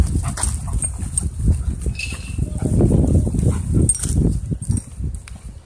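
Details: Throwing and pinning a husky in rough play at a dog park, a wolfdog produces continuous deep, grumbling growls rising and falling in bursts, mixed with scuffling and panting, and a brief high squeak midway.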